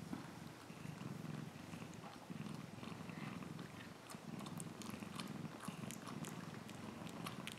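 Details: A domestic cat purrs steadily, a low rumbling throb pulsing in even waves from start to finish, with soft clicks and small rustles scattered above it indoors.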